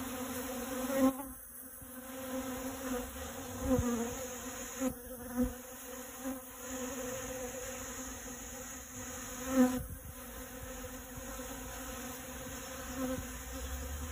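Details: Honey bee collecting pollen from dragon fruit flowers, a steady low buzzing hum with harmonic overtones that swells and fades as the bee moves, with brief louder bursts at close passes.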